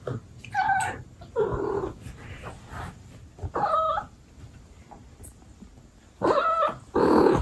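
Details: ['Abyssinian mom cat speaking to her kittens: several short, clear chirping meows spaced a second or two apart, plus a louder final burst, over quiet household rustling.']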